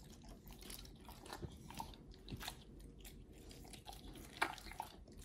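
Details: Oliang and nomyen, two Pit Bulls, chew raw healthy treats: soft, steady mastication at roughly one bite per second, quiet squishy crunches with a couple of sharper snaps near the end, indoors.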